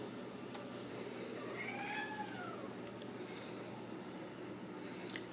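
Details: Ragdoll kitten from a home-based cattery in central Kansas, raised without cages, gives a single drawn-out meow that rises then falls, mid-pitched and fairly soft, over a steady low indoor hum.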